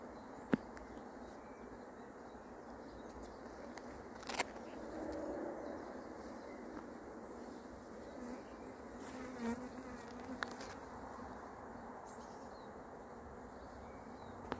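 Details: Honey bee swarm buzzing as it arrives and is caught, a steady dense hum with a few sharp clicks and knocks, one loud thump near the four-second mark.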